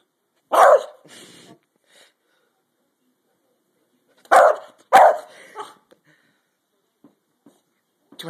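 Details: Pet dog in a fight, barking in short harsh bursts, a pair near the start and another pair later, with faint clicks and brief speech in between.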